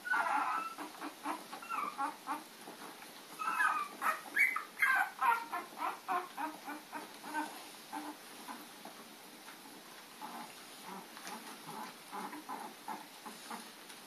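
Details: Puppies at play, chasing Lady on April 4, 2013: rapid strings of short, high yips and whimpers, dense and excited in the first seconds, then a fainter run of quick yaps under steady hiss.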